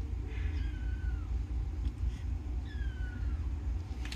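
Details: Kittens give two faint, high, thin meows about two seconds apart, each drawn out and falling in pitch, above a constant low droning hum.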